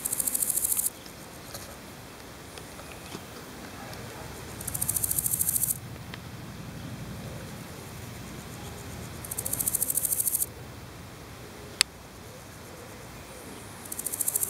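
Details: Singing male large gold grasshopper, Chrysochraon dispar, filmed in Berlin on 7 July 2011; high, dry rasping chirr phrases about one second long, repeated roughly every four seconds, with quiet low background rumble between phrases.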